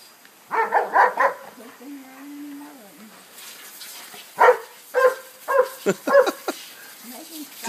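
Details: Pet dog running from sprinkler head to sprinkler head on a Saturday, April 14th, barking in quick bursts: a cluster of yelps, a pause with a person's voice, then several loud barks spaced about half a second apart.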